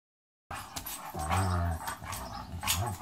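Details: Dogs in a pit bull versus German shepherd encounter; after a brief silence, a low droning growl-like vocalization swells for about half a second, with scuffling and clattering around it and a shorter low moan near the end.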